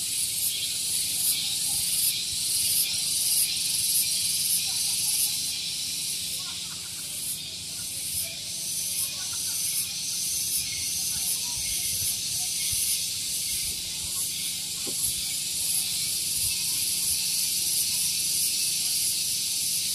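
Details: A cicada sings a loud, high, hissing drone with a steady pulsing throb, about three beats a second, on a morning at Gunung Geulis, Bogor, West Java, near a vehicle parking area.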